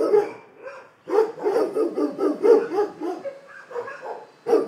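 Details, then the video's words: Dogs barking in a dense overlapping chorus, a loud burst at the start, then a long run of rapid barks and a final sharp bark at the end. "Szczekanie psów"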